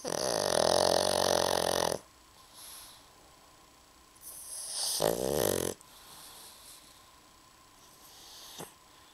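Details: Fat female pug sleeping indoors, snoring loudly: a long rasping snore lasting two seconds, a shorter one around five seconds, quiet breathing between, in a small room.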